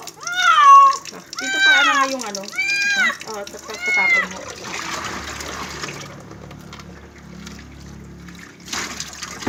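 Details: Cat during its first bath: four loud, drawn-out meows in quick succession, each rising then falling in pitch, followed by splashing and running water with a faint clatter at the end.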